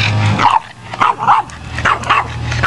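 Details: A female Boston Terrier playing in water 'talks' in short, yowling whines, answering her owner's question as if saying she wants water.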